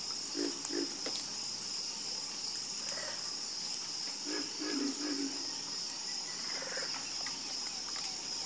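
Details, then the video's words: Sparse croaks from frogs calling at night, a few brief low pulses near the start and middle, while insects keep up an unbroken high-pitched buzz. "Calming Sound Of Harmonious Frog Croaking"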